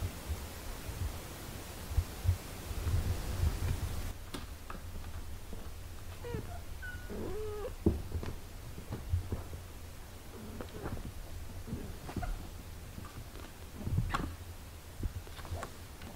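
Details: Domestic cat family, a mother caring for her eight-day-old nursing kittens indoors; several short, thin, high mews cluster mid-way, some bending up and down, over a steady low hum and soft rustling.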